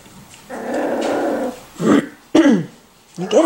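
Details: Miniature Schnauzer puppies, 4 and 6 weeks old: a low rumbling growl for about a second, then short harmonic yelping barks with falling pitch.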